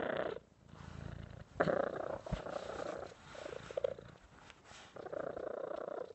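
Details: Purring cat, the rumble uneven and pulsing, swelling and fading in short bursts with small breaks and a few soft clicks between.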